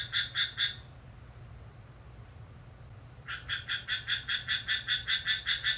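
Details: Midnight cricket song, July 6: a few quick high chirps, then a pause of over two seconds, then the rapid, evenly spaced ringing pulses resume to the end over a quiet hum.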